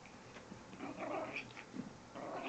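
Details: Chihuahua playing in the morning, making funny noises: a run of low, rough grumbling growls with breathy, snorting bursts spread over about two and a half seconds.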